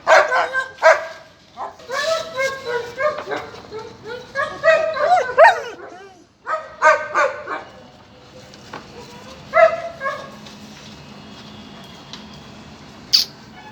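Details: Male and female German Shepherd puppies yipping in quick runs of sharp, bright barks and squeaky whines for several seconds, then falling quiet apart from a single late yelp.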